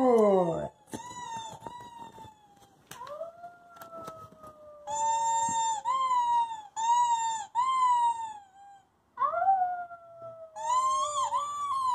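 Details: Pet dog Covi howling indoors in a small room while reacting to footage of himself: a series of long, tonal, wavering howls, some sliding slowly downward and others rising then falling, separated by brief pauses and short sharp sounds.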